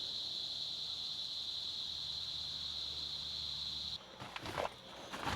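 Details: Crickets at nightfall at Omaking Nature Park and Campsite, Mangagew, Bokod, Benguet, starting up as it grows dark. A continuous high, even buzzing trill runs for four seconds, then stops abruptly, giving way to rustling and handling noises.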